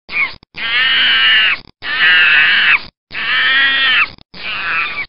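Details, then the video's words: Monkey screaming in four long, loud, harmonic bursts, each about a second long and separated by short breaks, with a harsh, strained tone. "Monkey screams"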